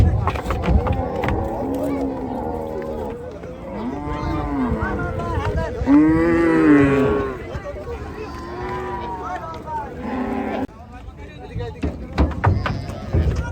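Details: Gaiya cows at a cattle farm during unloading, a series of low arching moos, one strong drawn-out bellow midway, with clatter, knocks and background voices.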